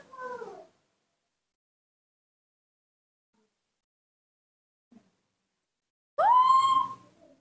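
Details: A hungry newborn baby monkey, just woken in the morning, gives two clear, tonal cries, one falling and one rising then held, calling for milk. It cannot yet suck well from its bottle.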